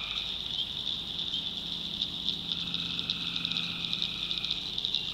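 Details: Tree frogs at night in a North Carolina swamp, forming a steady high trilling wall of sound. Rapid clicky pulses break through from the middle onward, over a soft lower drone.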